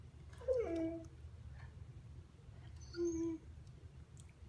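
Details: Argento, a one-and-a-half-year-old Husky, chatters to win the attention of his younger brother Sasha, who gives him the cold shoulder. Two short, falling, whiny yelps come about three seconds apart indoors, with a human voice nearby.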